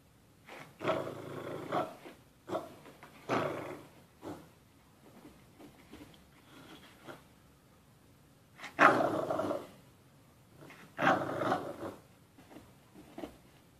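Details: American Bully dog giving low, rough growling rumbles in broad bursts of about a second each, six or so spread irregularly with quiet gaps between, the loudest pair near the end.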